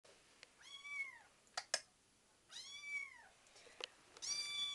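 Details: Betty, a 5-week-old kitten wanting to play, gives high arched meows indoors, three clear calls spaced about 1.5 seconds apart, with a few sharp clicks and knocks in between.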